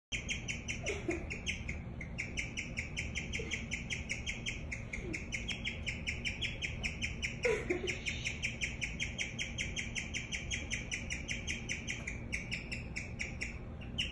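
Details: Guinea pig chirping in a long, steady run of short, high, bird-like notes, several per second, with brief breaks near eight and twelve seconds over a low background hum.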